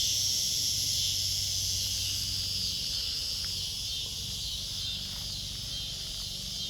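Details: Backyard cicadas heard around kittens, a steady high shrill buzz holding on continuously with a slight fade toward the end, faint low rumble beneath.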